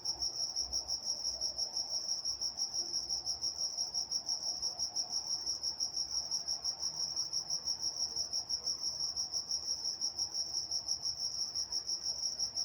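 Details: Crickets at night in Walnut, California: a continuous high-pitched chirping, evenly pulsed around three times a second, over quiet low background murmur.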